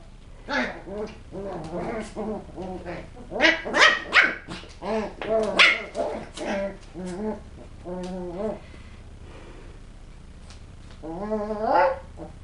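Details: West Highland White Terrier puppies at play: a chorus of overlapping high yips and tonal, wavering whines and squeals, busy for about seven seconds, then quieter, ending with a drawn-out whimpering whine.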